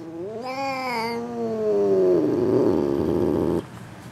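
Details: Female F2 Asian Leopard Cat hybrid perched on top of a refrigerator, vocalising a long drawn-out wail that rises briefly, then slides slowly downward into a hoarse, rough drone lasting about three seconds before stopping abruptly.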